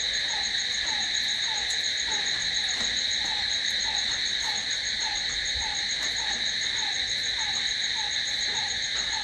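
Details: Night chorus of crickets, a continuous high-pitched ringing trill held without pause, over a softer lower pulse repeating about every third of a second.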